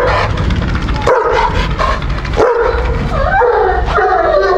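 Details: Pakistani Bully Kutta dog, called Washi Bully, giving short harmonic yelping barks and whiny tones, several spaced about a second apart, over a steady loud background hum.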